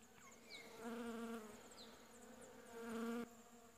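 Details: Western honey bees swarming over a blooming shrub, collecting pollen in winter, late July 2015: overlapping buzzes with harmonic drones rising and falling as individual bees pass close, plus faint high chirps and thin wind hiss.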